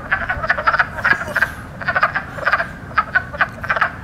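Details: Chorus of wood frogs in spring, the loudest frogs at the time, throats puffed near the lung sacs; quick bursts of hoarse clucks in clusters separated by brief pauses, many callers overlapping.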